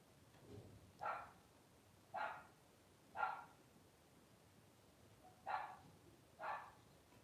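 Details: Twelve-day-old blenheim Cavalier King Charles Spaniel puppies, a litter of five born on New Year's 2023 to Paris and Spike. Six short, bright yelping squeals come at irregular intervals of roughly a second over a quiet background.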